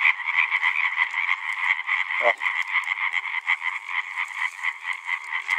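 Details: Calling males of European tree frog, Hyla arborea, in a loud overlapping chorus of fast, grating croaks repeated a couple of times per second, with a brief human voice in the middle.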